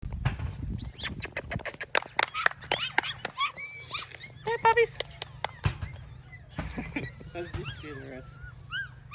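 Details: A litter of AKC registered Golden Retriever puppies in Ohio, several pups whimpering and squeaking: high, wavering whines and short yelps in quick overlapping bursts, with clicking and rustling noises and a person speaking briefly at the start.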